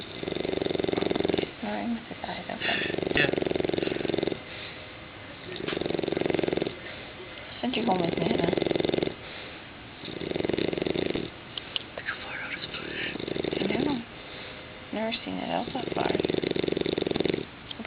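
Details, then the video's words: English Bulldog puppy of six months snoring while asleep indoors: steady cycle of harsh, vibrating snores, each roughly one to two seconds, repeating about every two to three seconds with quiet inhalations between. "English Bulldog Puppy Snoring"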